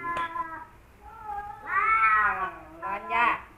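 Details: Rival male house cats Kaopat and Ronja confronting each other. A sharp click, a wavering low moan, then a loud bending howl and two more rising, forceful yowls.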